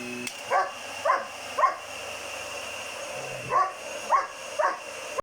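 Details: Seven-month-old German Shepherd Hogan reacting to a vacuum cleaner, three quick barks, a pause, then three more, all over the droning hum of the machine.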